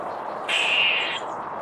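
A squirrel gives a single harsh, rasping bark lasting under a second.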